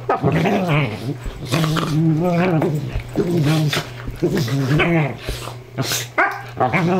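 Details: Two dogs, a sheltie and a Dingo Ridgeback mix, horse playing together as they do every night: low, rumbling growls with wavering moaning tones, broken by brief pauses and scuffling noises.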